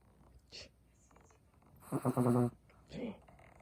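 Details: Chihuahua asleep and snoring: one loud, half-second rasping snort with strong overtones, framed by softer breathy exhales before and after.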